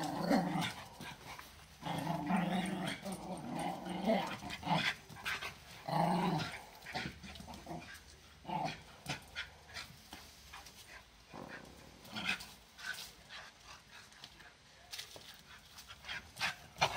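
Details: Two 13-month-old Patterdale terriers chewing a chew stick. They give low, rumbling growls in uneven bursts, mixed with crackly chewing and gnawing clicks. A person's voice is faint in the background.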